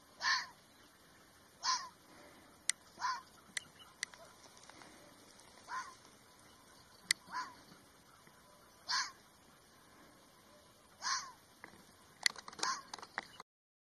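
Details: Series of coarse, rasping barks from a red fox, coming every one to two seconds, mixed with sharp clicks and a busier patch of knocks near the end.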